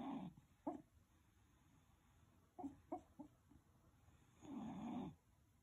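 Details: West Highland White Terrier, 12 years old, asleep and dreaming, recorded 1/12/2020: a soft rasping snore, then brief huffs and twitchy snorts clustered together, ending in a longer, louder rasping breath; quiet room otherwise.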